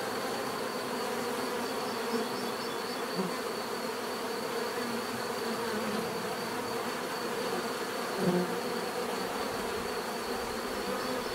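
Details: Steady swarm-like hum of many bees, a thick droning buzz with overlapping tones; brief louder passes of individual bees near two and eight seconds stand out against the constant background.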